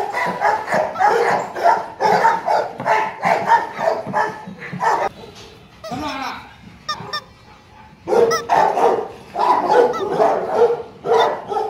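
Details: Male Rottweiler, ten months old and about 40 kg, kept at a kennel: a run of rough, repeated barks, a pause with a few softer sounds, then another burst of steady barking. People talk nearby.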